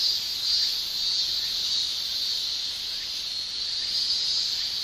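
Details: Tymbal song of male cicadas during Japanese summer: a constant sizzling shrill with small, quick flutters in loudness, steady from start to end.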